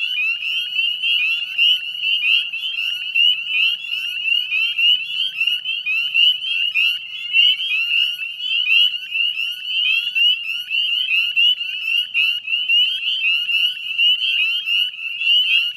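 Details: Sustained dusk chorus of northern spring peepers, West Chezzetcook, Nova Scotia, Canada, 18 May 2020 around nine in the evening; high upslurred whistles pour out continuously from many frogs, forming a dense ringing chorus throughout.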